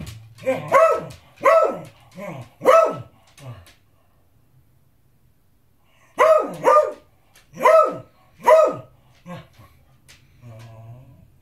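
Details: Beagle demanding his dinner with insistent barking: a run of four quick harsh barks, a pause of about two seconds, then another burst of four barks, followed by softer huffs and a low whine.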